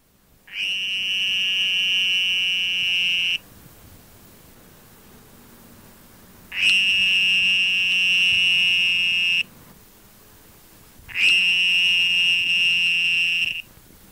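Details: A small Sonoran toad (Bufo alvarius), sitting about a yard from the water, gives long, steady, high-pitched buzzing trills as its mating call.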